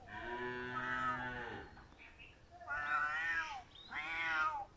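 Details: A crying house cat gives one long, falling meow of about one and a half seconds, then after a pause two shorter, arched meows in quick succession, harmonically rich and loud against a quiet background.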